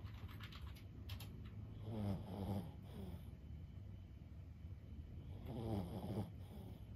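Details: A sleeping 15-year-old Boston Terrier named Lulu gives two gentle, low snores, each fading into a trailing rasp, spaced about four seconds apart over a quiet, hissy room background.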